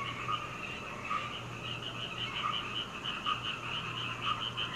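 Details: Frogs calling through the night near a home in Hunei, Kaohsiung, Taiwan, taken from a second-floor window on 21 May 2019 with a Canon PowerShot camera; a faint, distant chorus of soft rapid pulses with a low steady hum.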